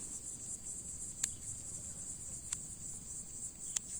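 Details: Cicada singing in summer heat after landing on a plant leaf in a farm field, a season when ripening fruit was said to follow its arrival; a steady, shrill high-pitched buzz, broken by a few faint clicks.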